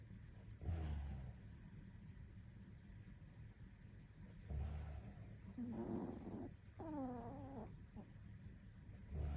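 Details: Sleeping Toy Poodle Hapi lets out low, grunting snores roughly every four seconds, with a brief higher whining squeak in between.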